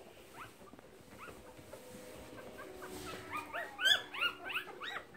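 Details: Nursing Keeshond recorded in March 2017. Quiet low murmuring leads into a cluster of sharp, rising squeaks and shrill yelps in the last two seconds, closely spaced and insistent.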